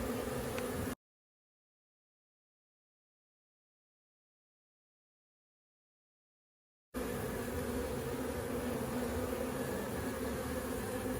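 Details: Crowded honeybee colony with foragers coming in carrying pollen, inspected for the first time; a dense, even buzzing drone, broken by a long stretch of complete silence before the humming resumes just as steadily.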